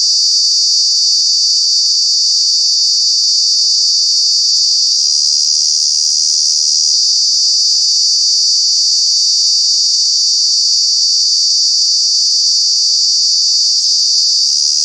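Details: Very loud cicada drone from Kanha National Park in summer, a continuous shrill high buzz that barely wavers across the whole stretch, no other sounds standing out.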